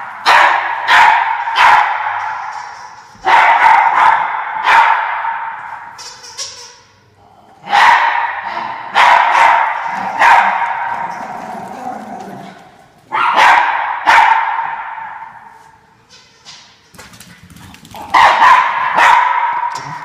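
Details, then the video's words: Several Norfolk Terriers in pursuit of an orange fox: bouts of loud, strained, high-pitched barking and yelping that come in waves every few seconds, each fading before the next burst. "Norfolk Terriers Chasing the Orange Fox"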